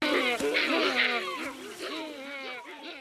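A gelada gives a quick run of wavering, nasal calls that swoop up and down in pitch.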